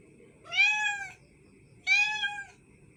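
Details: Cat meows twice, each a clear, slightly arching, nasal call lasting about half a second, separated by a second of quiet over a faint low hum.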